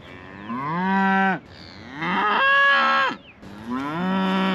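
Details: Scottish Highland cattle calling because a calf is out: three long harmonic moos, each about a second, starting low and gliding upward before dropping off, with short quiet gaps between.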